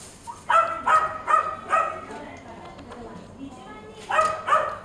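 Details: Male Chihuahua barking: four sharp, high yappy barks about every half second, a pause with faint voices, then two more barks near the end, indoors.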